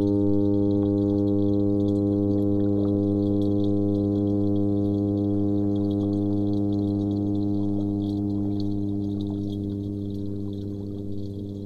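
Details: Angry toadfish vibrating its swim bladder to express displeasure: a long, steady, deep droning hum rich in evenly stacked overtones. It holds unbroken for over ten seconds and fades slightly toward the end, with faint ticking beneath.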